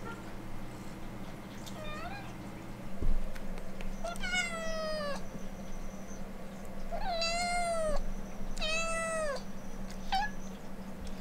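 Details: Siberian Forest Cat sisters Kitsune and Maneki, indoors, begging to go outside to play in the yard: a faint short meow, then three long, drawn-out harmonic meows that dip and rise, over a steady low household hum.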